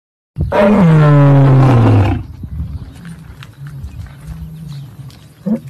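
A lion gives one deep, drawn-out roar that slides lower in pitch over about two seconds.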